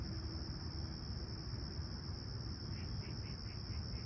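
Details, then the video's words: Summer sunrise crickets at Toronto's Humber Bay Shores, 28 July 2020, calm and clear at 20ºC: a continuous high trill, a low rumble beneath, and a brief series of about six short, quick notes near the end. "Serene Summer Toronto Morning With Chirping Crickets"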